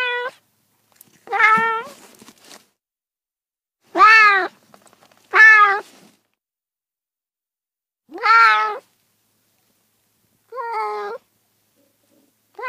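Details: Domestic cat meowing in short separate calls with rich harmonic stacks, each slightly arched in pitch, spaced irregularly a few seconds apart with silence between.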